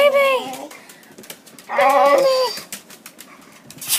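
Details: Excited female house dog greeting a person arriving home, often holding a toy or bone in her mouth, gives two bending, nasal whine-moans with a quiet gap between them in a small room.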